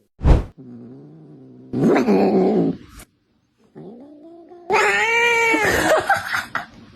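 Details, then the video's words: Cat making weird sounds: a short burst, a low drawn-out moan, a harsher wail, then a loud rising yowl with wavering tone at the end. "Weird Cat Sounds"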